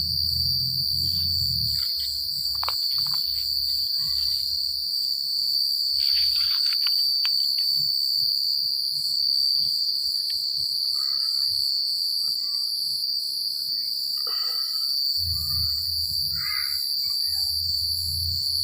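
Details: A night chorus of crickets in the countryside keeps up a continuous shrill ringing with rapid pulsed layers above it. Soft low wind rumbles at the start and end, and brief scattered rustles and chirps come and go.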